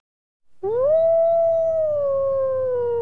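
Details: Wolf howling in a single long, steady tone that rises at the start, then holds and slowly falls, with clear harmonics above it and a low hum underneath.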